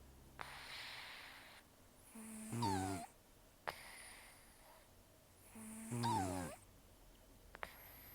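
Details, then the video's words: Taro, a rescued cat of an estimated 10 to 14 years, taken in in October 2024 and missing most teeth from periodontal disease, sleeps with rough snores: harsh nasal inhalations with a buzzing, rattling tone, roughly every three and a half seconds. "ねこのいびき 猫 いびき"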